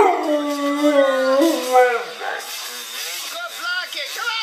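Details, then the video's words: Bullmastiff howling during a chase after a dirt bike: a steady held howl that breaks into shorter wavering, yelping notes, with a human voice in the background. "My Howling Bull Mastiff"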